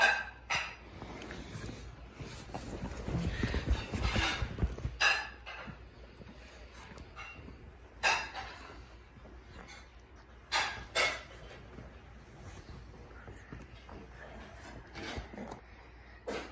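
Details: Male pet Shih Tzu vocalizing as if trying to talk to his owner; short, sharp bursts break out at scattered moments, several closely paired, with quieter grumbling in between and a woman's voice speaking softly nearby.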